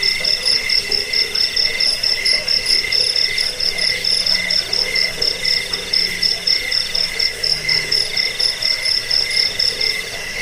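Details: Crickets chirping, played to drive away rats, lull listeners to sleep and train songbirds; high pulsed chirps repeat about four times a second over a steady lower ringing tone, several callers overlapping in a dense chorus.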